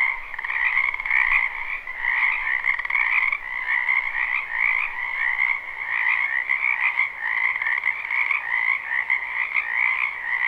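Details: Many frogs croaking in a spring wetland behind a house, recorded live without looping: a dense, unbroken chorus of rapid trilled pulses forming two steady pitch bands, one low-mid and one higher, with no other clear sounds.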